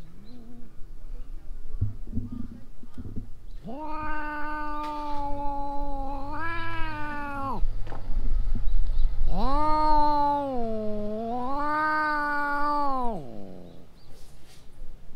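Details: Stray cats in a possible fight, giving long drawn-out yowls with rich harmonics, one wavering cry followed by a longer rising-and-falling wail, low rumbling noise underneath.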